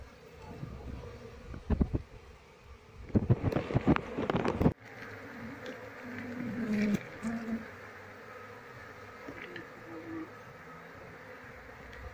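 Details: Wild Asian honey bee colony (Apis cerana) disturbed while being moved into a cultivation box, with the keeper searching for the queen; a low droning hum under loud, irregular bursts of handling and knocking noise during the first five seconds.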